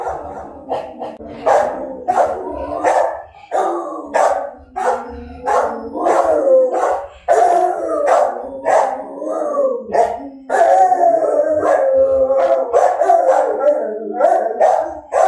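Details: Several dogs howl in long, quavering tones that rise and sag in pitch, with sharp barks cutting in between the howls and brief pauses between the phrases.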